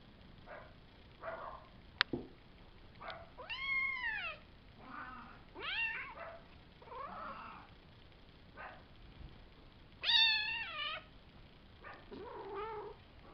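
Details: Five-week-old Savannah kittens, Kendi x Gargoyle litter of three males and two females born April 22nd, filmed May 30th; repeated arching harmonic meows, some rising then falling, overlapping softer mews, and one sharp click.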